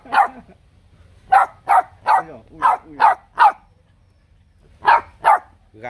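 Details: Bob-tailed male puppy from a litter of three, barking provocatively and outdoing its littermates; sharp bright yaps in bursts, about nine barks, with a pause near four seconds, quiet background.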